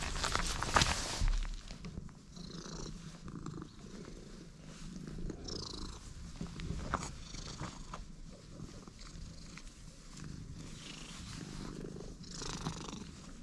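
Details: Stray cat purring right after first meeting someone outdoors, a steady low rumbling purr running throughout with soft rustling and small handling noises over it.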